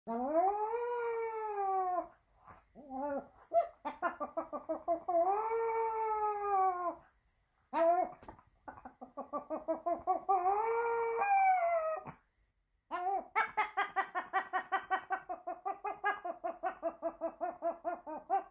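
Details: Pet dog making odd monkey-like sounds indoors: long wavering harmonic whines and yowls rising and falling, broken by short pauses, ending in a quick run of pulsed yelps repeated about twice a second.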